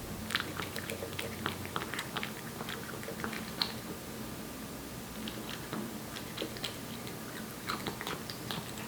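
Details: A Korean Shorthair cat named Aeppi, one year old, eats wet food indoors. Sharp, wet chomping clicks cluster in rapid bursts with brief pauses between, against a quiet background hum.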